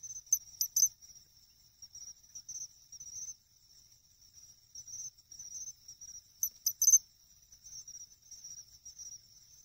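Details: Pine cricket at a farm pond in Ehime, Japan, in August, song known as chinchirorin: two loud clusters of three sharp metallic clicks ring out over a continuous high, pulsing trill.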